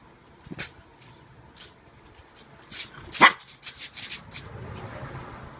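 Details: Shiba Inu dog meeting something unknown indoors: a few soft scattered bursts, then a single sharp, loud bark about midway, followed by a quick run of clattering taps and a low rustling fade.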